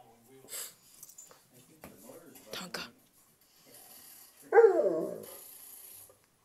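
Quiet talking and a few soft noises come first. Then an Alaskan Malamute lets out a short, harmonic, wavering howl that rises a little and falls away within about a second.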